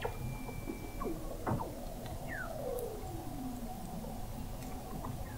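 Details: Weddell seals under thick sea ice in McMurdo Sound, Antarctica, recorded November 2017 by an observatory 21 m below the ice: scattered faint descending whistles, a thin steady high trill and short chirps over a constant low rumbling background.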